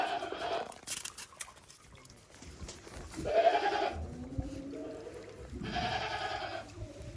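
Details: Several farm goats in Japan cautiously walking on snow after heavy snowfall, 28 December 2023; three tremulous bleats roughly every two to three seconds, with some knocking and rustling.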